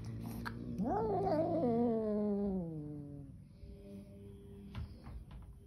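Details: A single long protest from an angry kitten, rising sharply into a wavering yowl and then sliding down over about two seconds before fading into low room noise and faint taps.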